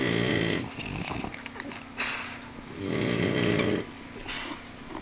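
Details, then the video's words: Sleeping French Bulldog named Rocky snores heavily, a rough buzzing inhale followed by softer snuffling breaths, then another long, loud rattling snore before the breathing fades again. "Rocky,my french bulldog snoring like a man"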